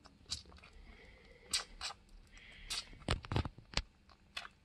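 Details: A one-month-old orphaned male bushbuck, found wandering alone and in care for a week, bottle-feeds with wet smacking sucks, gulps and clicks in short irregular bursts over a quiet room hum.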